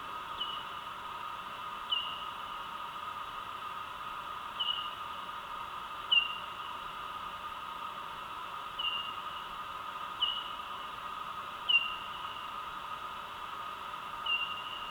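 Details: Bat echolocation calls recorded at night with ultrasonic microphones and slowed down in pitch to be audible: brief downward chirps every second or two over a steady hiss.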